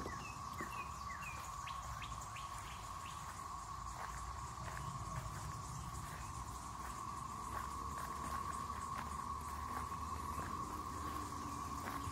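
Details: Periodical cicadas of the 13-year and 17-year broods in the Triangle area of North Carolina, 2024, fill the air with a steady, droning chorus, with occasional bird chirps above it.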